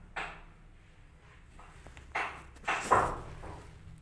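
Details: Cat family indoors, a mother cat nursing and feeding milk to her two-day-old newborn kittens; three short, sharp mewing cries come in quick succession, the last one louder, over a quiet room with faint rustling.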